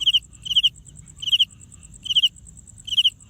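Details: Cricket making sound by rubbing its wings together: bright, high chirps of three to four rapid pulses, repeated about every 0.8 seconds, five chirps in all, over a fainter steady pulsing insect tone higher up and low background rumble.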